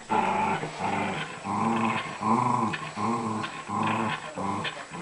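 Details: Angry Dachshund growling indoors in a continuous string of deep, rough, harmonic growls, pulsing roughly every three-quarters of a second, about seven pulses.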